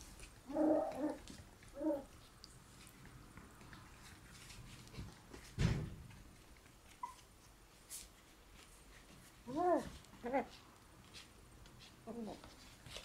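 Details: Black Shiba Inu puppy born 13 February, small but fond of rope, indoors; short whiny yelps in little bursts near the start and again near the end, separated by quiet stretches with a thump and rustling.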